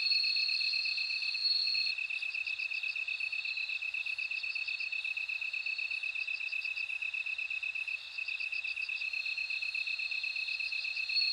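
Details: Bell cricket song: clusters of high, tinkling pulsed trills alternate with longer ringing notes. Beneath them runs a continuous, evenly beating high insect chorus.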